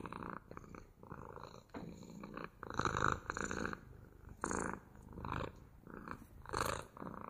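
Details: Domestic cat purring in distinct breath pulses about once a second, a low rattling hum with brief pauses between inhale and exhale.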